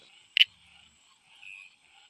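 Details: A Kivu reed frog in Kenya gives a single sharp, high ticking click over a faint, steady cricket trill.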